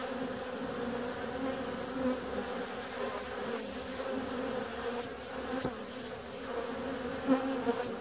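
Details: On a warm February day, bees fly out in a steady layered drone, two strong humming tones holding throughout with small swells as single bees pass by, and a sharp tick near the middle.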